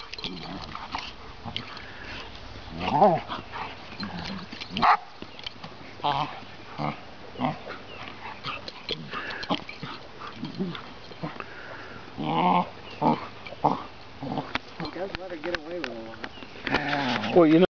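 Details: Rough play between a seven-month-old chocolate Labrador puppy named Bailey and a 20-month-old Ridgeback named Vaska, who gently lets her win; scattered short yelps, whines and growly bursts break through, mixed with a person talking and scuffling noise.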